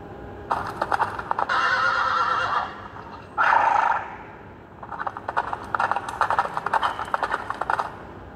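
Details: A young mare beckons to a stallion with a long ringing whinny and a short squeal, surrounded by rapid rattling clicks and clattering hoof-like knocks.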